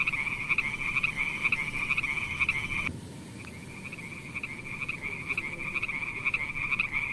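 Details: Little frogs in a beautiful pond producing a buzzy pulsed chorus; loud repeated croaks at first, a sudden drop in volume near three seconds, then the calling continues more softly and evenly.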